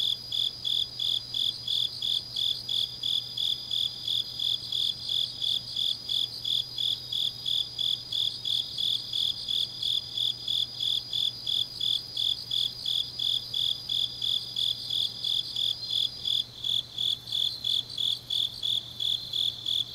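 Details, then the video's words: Deep-night autumn insect chorus in the grass of Changnyeong, Korea: regular high chirps, near three a second, with several overlapping callers and a brighter sustained trill that shifts slightly late on, plus a low hum. "깊은밤 가을 풀벌레 소리"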